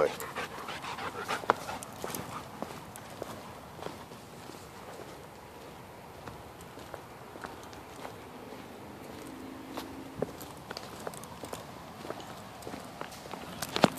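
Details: Dog panting steadily on an early-morning hike around 7 a.m. through Mississippi River Regional Park toward a spring-fed cave, overcast and humid; the walkers are Kurgan, a 23-week-old Blue Bay Shepherd, and Lobo, a two-year-old German Shepherd, with footsteps crunching and a voice now and then.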